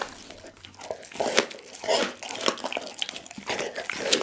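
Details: Dougie, a pit bull, eats a whole raw chicken indoors; wet crunching and tearing bites come in irregular bursts, with crinkling sounds in a small room.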